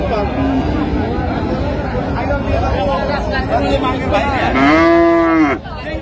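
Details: At Raniganj haat cattle market in Dinajpur on June 26, 2025, where cows with calves are sold, a short nasal moo near the end follows several seconds of crowd noise and talking.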